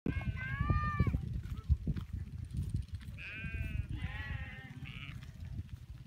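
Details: Free-pastured cashmere goats, kept with sheep in the wilderness of North Eastern Mongolia, bleat in a series of wavering, nasal cries, some high and quavering. A steady low rumble of wind or engine runs beneath.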